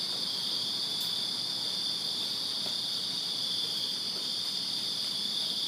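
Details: A steady wall of high-pitched chirping from many crickets in a backyard in Virginia on a summer night, unchanging in loudness, with a brief faint tick near the first second.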